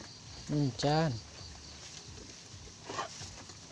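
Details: Garut sheep ewe during the birth of triplets: two short, low, quavering bleats in quick succession, the second longer and wavering, followed by quiet rustling and a faint voice in the background.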